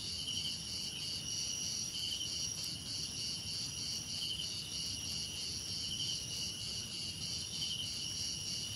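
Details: Crickets heard as a relaxing nature soundscape, a dense steady chorus of high pulsed trills stacked in several pitch layers, the lowest band beating in quick rhythmic bursts, over a soft low rumble.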